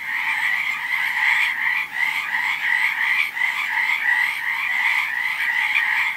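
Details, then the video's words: Frogs calling in a dense, unbroken chorus of rapid trilled croaks, layered and overlapping with no pauses, steady loudness throughout, a bright midrange buzz with a lower hum beneath it. "Som de sapos / Sound of frogs / Sonido de ranas"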